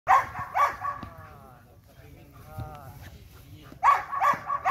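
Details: Belgian Malinois barking during light training: bursts of loud, rough barks at the start and again near the end, with softer whining tones between them.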